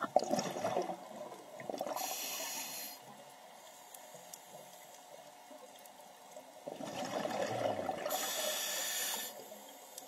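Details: Loggerhead sea turtle giving two drawn-out, hissing breath bursts, each about a second long and spaced several seconds apart, with sloshing water between them.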